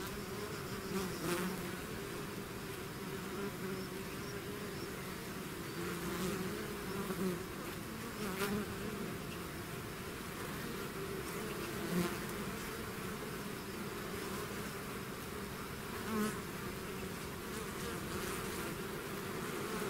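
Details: Natural buzzing of a bee swarm emerging from its hive, a sustained multi-layered drone with scattered short louder passes of individual bees over twenty seconds.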